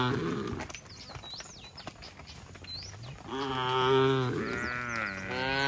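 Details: Tame cattle walking back to their shed, calling each other: a rasping, rising moo followed by a second longer moo in the latter half, with bird chirps and scattered clicks before.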